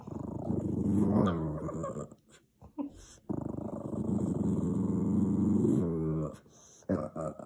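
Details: Low rumbling growls from a tired Boston Terrier angered by neighbours making noise; a two-second growl, a short gap with faint sounds, then a longer three-second growl and a brief final grumble.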